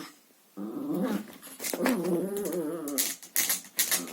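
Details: Chihuahua at play with a vacuum hose indoors, a sustained, undulating growl lasting about two seconds, followed by sharp clattering knocks.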